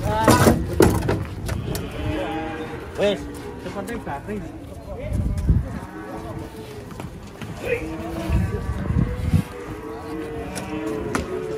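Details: Cattle coming down off a truck during unloading: several short, rising-and-falling moos scattered through the clip, mixed with people talking, shouts and heavy thumps of hooves and movement.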